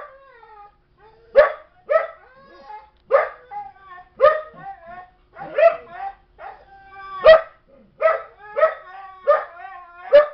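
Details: Young female Belgian Malinois, barking as Chobi uses calming signals toward her; yelping barks roughly every half second to second, overlapping with high, sliding whines throughout.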